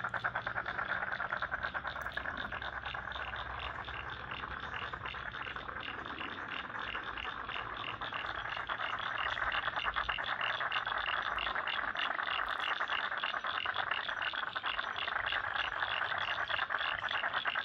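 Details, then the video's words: Chorus of frogs from a Lane Cove National Park wetland in Sydney: steady rapid pulsed calls, about three per second, overlapping into a rattling wall of sound, with a faint low hum beneath early on. "Frogs in Lane Cove National Park wetland"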